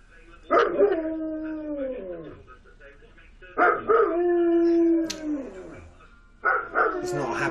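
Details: Dog left home alone in the living room with the radio on, howling because he is unhappy; three long wavering howls that start high and slide downward, each about one and a half seconds, with faint background sound between.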